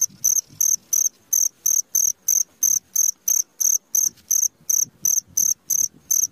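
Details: Nighttime cricket, recorded at midnight, keeps up evenly spaced, high, ringing chirps about three per second; a faint low rumble sits underneath.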